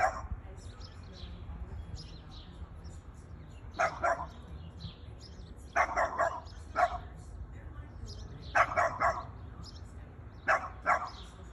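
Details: Boston Terrier, a pet dog, barking at a plastic bag: short sharp barks in pairs and small clusters every one to two seconds, with quiet stretches between and faint background noise.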